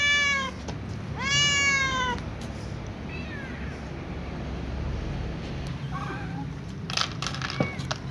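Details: Calico cat meowing as it runs to its usual eating place with other cats: two loud, drawn-out harmonic meows in the first two seconds, then fainter short mews and clicks over steady outdoor background noise.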